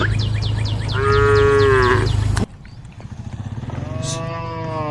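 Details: Cows of a herd on the road calling to the herd: one long, steady harmonic moo lasting over a second, then a fainter drawn-out moo near the end, over a low constant hum with a rapid series of repeated high chirps.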